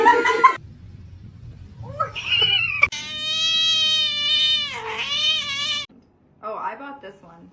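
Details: Domestic cat giving a long, drawn-out wailing meow of about three seconds, steady at first then dipping and rising again near the end, followed by a shorter meow after a pause; human voices and a brief burst of noise come before it.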